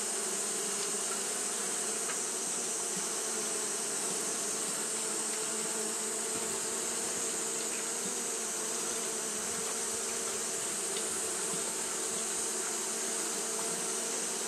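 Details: Japanese honey bees fanning continuously on a hot day: a steady, unbroken droning hum with a low tone and its overtones, laid over a bright, even hiss that persists throughout.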